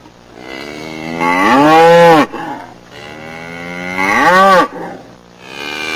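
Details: Cattle giving two drawn-out moos, each rising in pitch and then dropping off sharply, about two and a half seconds apart, over a faint low hum.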